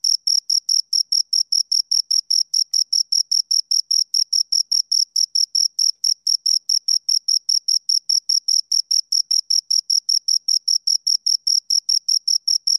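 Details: Two crickets chirping, a steady high-pitched pulsed trill of short clean chirps, about six per second, with a fainter overtone band above; no other sounds against a silent background.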